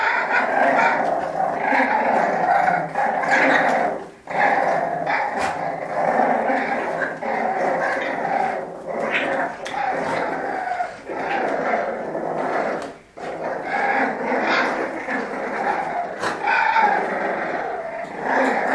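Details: French Bulldogs play fighting, asking who is the strongest: continuous throaty growls and snarls with short barks and grunts, steady and loud, breaking off briefly around four and thirteen seconds.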